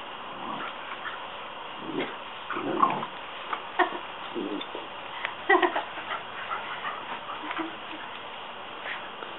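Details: A Rottweiler that hates the water hose gives short, gruff barks and whines in scattered bursts over a steady hiss of spraying water.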